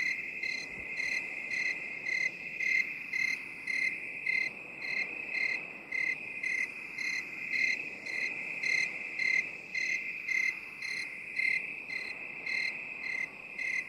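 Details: Binaural recording of a cricket: continuous shrill high-pitched trill broken into rhythmic chirps roughly every half second, evenly paced throughout, with soft background hiss.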